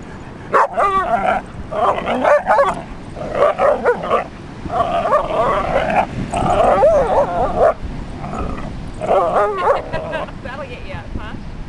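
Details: A 40 lb Basset Hound barks at a 150 lb Leonberger to show it who is boss, giving loud, harsh barks and yowling bursts in quick runs about a second apart, some with a wavering pitch. Indoors.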